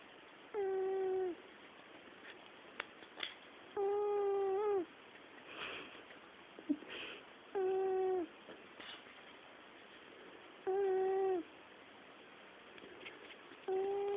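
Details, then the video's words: A sleeping pet cat snores steadily indoors, each breath a tonal, slightly wavering purr-like drone lasting under a second, coming roughly every three seconds with quiet pauses between. "The Snoring Cat"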